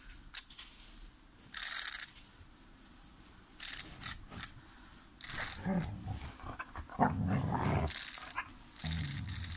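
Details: A Vizsla apparently afraid of a mouse gives short, uneven bursts of barking and whining, with a low, rough growl between them.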